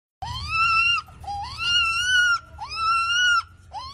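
A young siamang gives high, wailing cries that swoop upward, then hold steady for about a second each.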